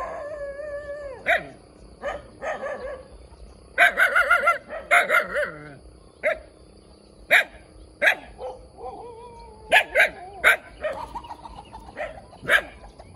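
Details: Cute, very vocal puppy alternating steady whining tones with bursts of piercing yips, including one fast volley of five or six barks midway, then more spaced single barks.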